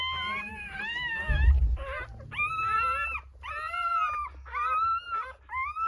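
Newborn Rottweiler puppies give high, arching squeals and whines, repeated about once a second.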